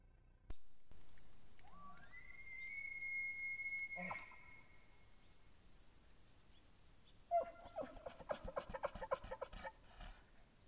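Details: Bull elk in the rut on public land in Idaho, picked up by a cellular trail camera: a rising whistled bugle holds high for about two seconds, a pause follows, then a run of rapid, choppy chuckle grunts.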